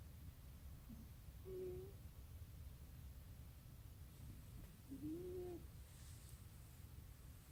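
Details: Sleeping cat snoring with a sound like something mechanical: two whistled, slightly rising tones about four seconds apart over a constant low rumble, with a faint high click near the end.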